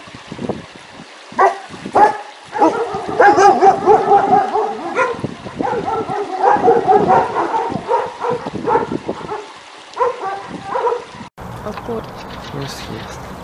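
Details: Several dogs barking loudly in dense, overlapping bursts, some barks stretching into howl-like tones, with a brief pause near the end; a person's murmured voice follows.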